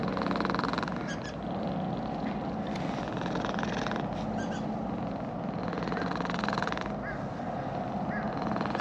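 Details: Petted orange-and-white cat in a park, having come down a sloping path, rumbles a pleased purr; a dense, even low vibration continues without pause, under brief rustles from stroking.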